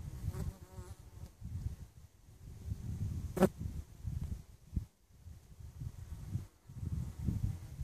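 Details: Bees at Westport Quay give a low, steady buzz that swells and fades as they fly near, with brief quieter gaps between passes.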